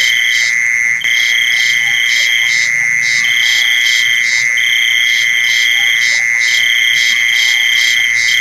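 Crickets call in a steady, unbroken high trill, with pulsed, buzzy chirps repeating above it.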